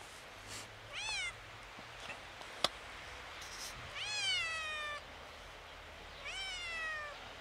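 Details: Kitten seeing snow for the first time, a little scared, repeats three meows about every two and a half seconds. Each rises briefly and then falls away in a drawn-out, plaintive tone over faint low background hum.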